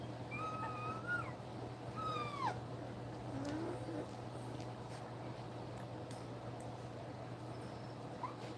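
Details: Nursing German Shepherd puppies, two weeks old, let out a few thin, high whines early on, one bending sharply downward, then mostly quiet shuffling with a low steady hum beneath.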